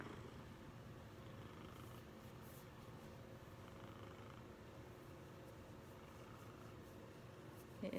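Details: A male Maine Coon cat at a cattery in Bossier City, Louisiana, USA, a very loud purrer, cuddles on his owner's chest, kneading gently. He purrs in a deep, even rumble that hardly changes in pitch or rhythm, with brief quiet speech.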